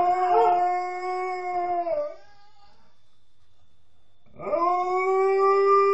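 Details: Nukka, a female pet Alaskan Malamute, howls, thought to be missing her mum: a long, steady, harmonic-rich tone for two seconds, a quiet gap, then a second howl that swoops upward and holds level.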